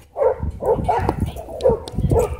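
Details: At a dog park after a small white dog bit a German Shepherd, a dog gives five short, punchy barks in quick succession, bunched in pairs with brief gaps, loud and close.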